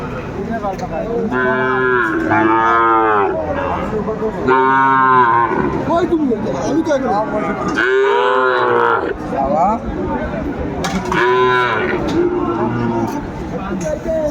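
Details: Sahiwal cattle at the Aftabganj cattle market in Kurigram on a winter Tuesday morning, 31 December 2024; several long, loud, wavering moos rise and fall in repeated bellows, over crowd chatter and bargaining voices.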